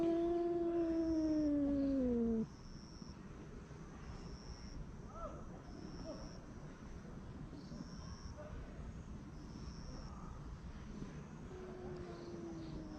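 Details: Street cat guarding its meal with a grumbling moan: a loud, drawn-out tonal growl falling in pitch over about two seconds, then a long stretch of background noise and a faint rising murmur near the end.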